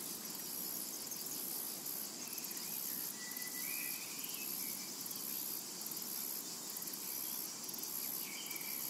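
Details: Summer meadow soundscape dominated by cicadas, a piercing steady buzz broken into quick regular pulses, accompanied by occasional faint, short bird calls.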